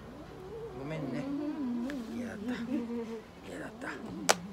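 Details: Maine Coon cat at a veterinary clinic in Nagoya, Japan, during nail clipping, paw-pad fur trimming, anal gland expression and dental care: a long, low, wavering moaning yowl lasting about three seconds, then a sharp click and faint voices.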